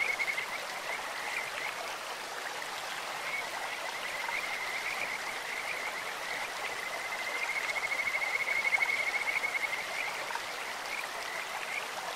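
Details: Kajika frogs croaking in a clear mountain stream: a thin, high trill of quick pulses runs faintly through the clip, swelling around the middle, half buried under steady rushing water.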